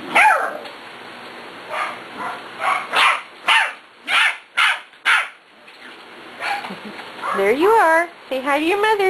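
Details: Six-week-old puppies, among them Kobe and Cat, near their mother Beauty: a quick run of sharp barks roughly every half second, followed by long wavering whines rising and falling in pitch, with a woman talking over them.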